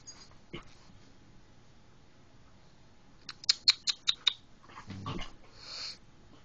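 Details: German Shepherd Shdw playing rough with Cali indoors, recorded on an Android phone: a quick run of sharp clicking snaps, then a short low rumbling growl-like burst and a breathy huff, over a quiet room background.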